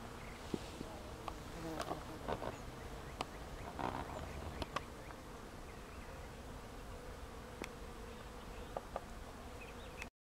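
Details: Swarms of bees, thousands of them, working flowering trees in a Kansas state park in Reno County in early May 2004; a soft continuous drone with sharp clicks and brief handling noises over it.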